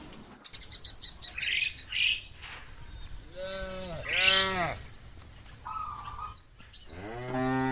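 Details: Cows (Bos taurus) roaming open fields in the late afternoon give drawn-out, rich moos that swell and fall, calling the rest of the herd to come home to the barn.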